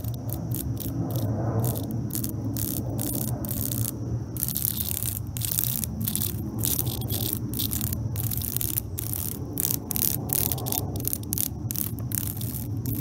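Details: Cicada struggling for its life while attacked by a European hornet: harsh, raspy buzzing pulses break out in irregular bursts, some short and clicking, others longer, over a constant low rumble throughout.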